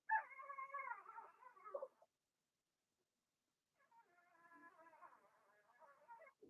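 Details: Young Blenheim Cavalier King Charles Spaniels in an indoor pen, whimpering; a strong quavering cry lasting about two seconds, silence, then a softer, longer wavering whine that fades out.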